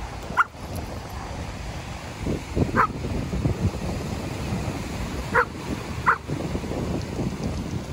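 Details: Dog at a seaside off-leash dog park in Vancouver, Canada, where dogs swim in a cool breeze; four short, sharp barks scattered across eight seconds, two close together near the end, over a steady low wind-like rumble.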